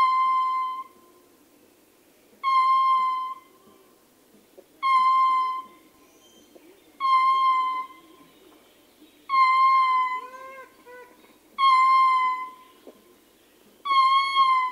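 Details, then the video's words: Ring-tailed lemur male howling from close range: a series of clear, harmonic, slightly nasal wails, each about a second long, repeated every two seconds or so; faint softer calls from other troop members slip in between around the middle. "Ring Tailed Lemur / MCU Howling Calls From Male. Grunts And Other Calls From Other Members Of The T"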